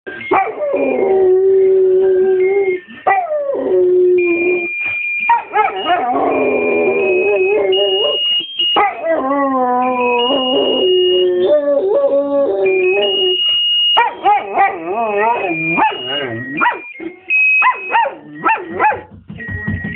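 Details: Pet dog howling along to a musical Christmas card, sustained wavering howls sliding up and down over a thin, tinny electronic melody, continuing for the whole stretch.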